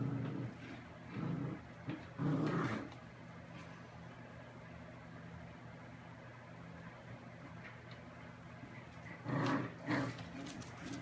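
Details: Dachshund, a pet sausage dog, growling in two low rumbling bursts, one early and one near the end, with quiet room noise in between.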